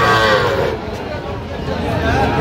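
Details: Sahiwal bull calf offered for sale at a busy cattle market in Kishoreganj, Bangladesh, on 10 October; a drawn-out, low, harmonic moo carries through steady crowd chatter and nearby voices.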